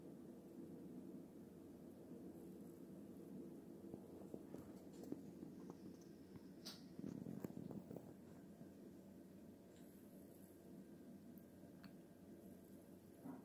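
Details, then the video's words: Female house cat trying to catch a fly, giving a low, steady purr throughout, with scattered clicks and rustling indoors. "Cat is doing weird sounds because of a fly"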